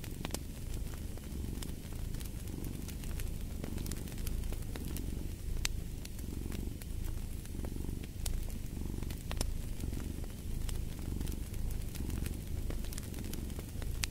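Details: Domestic cat purring beside a fireplace: a deep, steady low rumble that swells and eases with each breath, roughly every second and a half, while sharp wood crackles pop irregularly over it.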